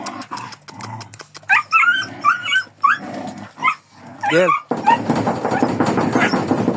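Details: Kangal dog giving a run of sharp, wavering high yelps and whines, broken by low rough growling and a burst of scuffling noise toward the end.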